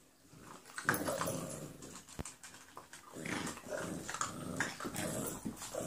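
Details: Brindy and Lady, two 11-week-old foster puppies, playing together: low rough growls and short grumbling bursts come in clusters, broken by scuffling thumps and one sharp knock.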